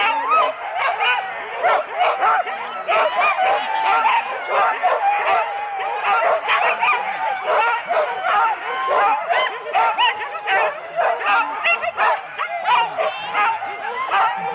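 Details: At Rendlesham in January 2016, four-dog Husky teams at a sled start, taped on analogue cassette; a constant din of high yelps and barks from numerous dogs, pulsing in rapid repeated bursts.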